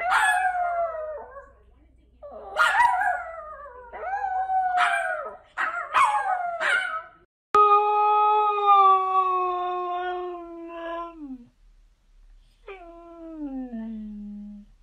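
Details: Dog howling in a compilation of funny dogs and puppies: a run of short rising-and-falling yelping howls, then after a cut a long steady howl sliding down at the end, followed by a shorter howl that falls lower.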